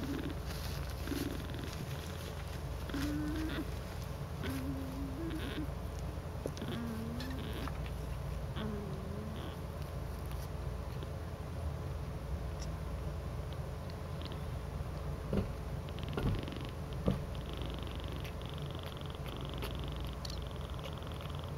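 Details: Domestic cats piled together in a cuddling heap, a "cuddle puddle": a soft, low, steady rumbling purr runs throughout, with faint short tonal chirps and a few light taps and rustles above it.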